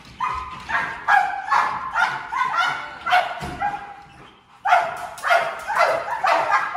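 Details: Malinois from a breeding program, barking during bark training where the bark is conditioned as a clear warning; sharp barks in quick bursts, several in a row, a brief pause near four seconds, then another run.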